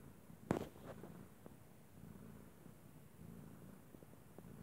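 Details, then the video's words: A domestic cat purring, likened to a water heater. The purr is a soft, continuous, low rumble heard close up in a quiet room, with one sharp click near the start. "Vattenkokarljud (purring cat)"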